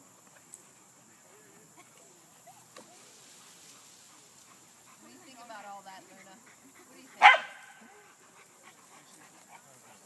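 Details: Dogs playing at Lloyd Ave. Dog Park, tussling with a tree; soft whines and murmuring voices in the background, then one sharp, loud bark stands out near the end.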